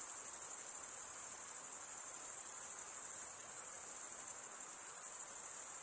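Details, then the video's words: Chirping crickets, males stridulating with their wings, keep up an unbroken high, thin trill with a quick shimmering pulse of about three beats per second, loudness nearly constant from start to finish. "cricket sound"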